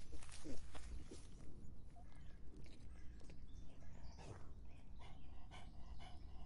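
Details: In hot summer weather, a dog laps water in fast, uneven wet slurps, roughly two or three per second, over a low, rumbling background.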